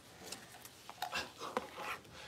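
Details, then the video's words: Six-week-old Cavalier King Charles Spaniel puppies in a puppy pen, being dewormed and having their toenails trimmed; brief, soft whimpering squeaks and snuffles come in short bursts over two seconds against quiet indoor room noise. "6 Weeks Old: Puppies get dewormed and their toenails trimmed!"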